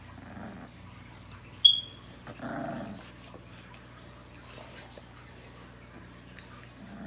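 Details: Rottweiler puppies give two short, rough growling bursts a couple of seconds apart, with a sharp click between them and a steady low hum indoors.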